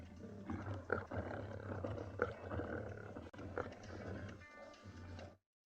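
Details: Two dominant male lions roar at sunrise on 18 July 2020, giving deep, rough, rumbling surges with sharper accents. They arrived after buffalo distress calls at a fresh buffalo carcass and roar to show dominance and drive a young male away.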